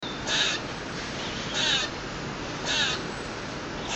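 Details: Squirrel on a balcony making lots of noise for no clear reason: three loud, harsh, raspy bursts about every 1.2 seconds over a steady hiss of background noise.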